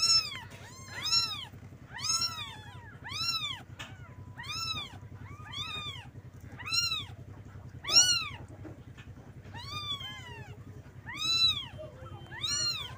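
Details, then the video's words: Several kittens cry for their mother, wanting milk. Piercing, arched mews come in a steady string, roughly one every second, some overlapping, all well above a faint low background hum. "Suara anak kucing panggil Induknya"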